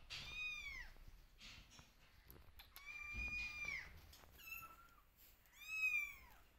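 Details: Kittens meowing and calling for their mother, who keeps her distance and watches; three clear high, arched meows with rich harmonics, each about a second long, separated by short pauses with faint indoor rustling.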